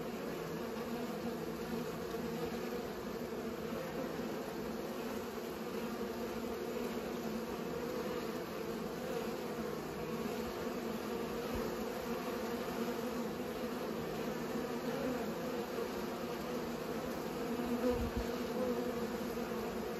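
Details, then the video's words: Continuous low drone from bees pollinating, a steady even hum with a brief louder swell near the end. "Bees pollinate"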